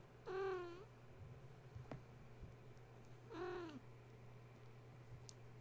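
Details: Gaia's young kittens indoors, awake at bedtime after a space heater was plugged in, playing and climbing the walls, kennel and fence instead of settling to nurse; two short harmonic mews about three seconds apart over a steady low hum, with a faint tap between.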